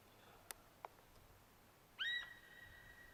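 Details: Deer calling: one loud, whistled note that starts with a quick upward sweep and then holds a long, steady high pitch for about a second. A few sharp clicks come before it against quiet background hiss.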